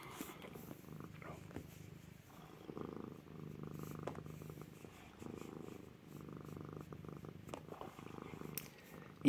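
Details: Rescue cat Lippy purring indoors while chewing on shorts, a low rumbling purr rising and falling in repeated cycles of one to two seconds, with faint rustling and a few soft clicks.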